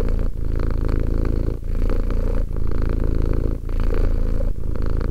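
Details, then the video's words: Two-year-old cat giving a deep, vibrating purr in regular breathing cycles, brief breaks roughly every one and a half to two seconds. "One hour of quality cat purring."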